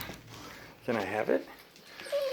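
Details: A female Golden Retriever gives a rising-and-falling, whiny moan in happy greeting as her owner comes home.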